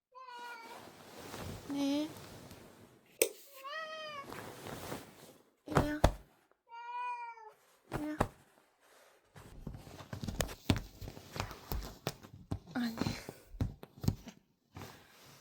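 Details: Pet cat indoors at home, crying again and again like an alarm clock with no off switch: drawn-out, wavering meows repeated at irregular intervals, mixed with thumps, rustling and some human speech in a small room.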